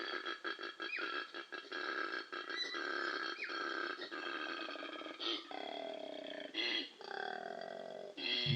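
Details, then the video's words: A male koala bellows in the breeding season in Australia, picked up by an acoustic recorder strapped to a tree: rapid snoring pulses, then deep, belch-like, donkey- or pig-like tonal groans. "donkey sort of pig-like bellowing sound."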